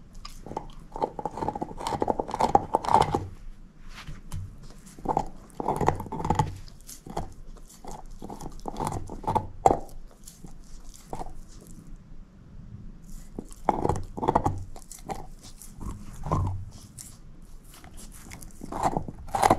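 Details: Moose, a female shepherd mix dog, gnaws on a bone: irregular bursts of wet crunching and clicking chews, clustered in quick runs with brief pauses between, and no talking.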